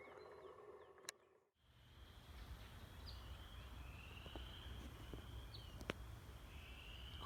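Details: Chorus frogs at Shawnee Prairie Preserve on an early April morning in spring woods give faint, creaky, slightly rising half-second trills, several overlapping in the distance, over a steady low rumble of wind.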